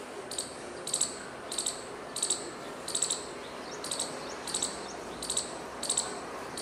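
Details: Calling squirrel that flicks its tail while making noise; high, sharp chirps come in short doubled bursts about once every three-quarters of a second, fairly steady, with a quiet hiss behind.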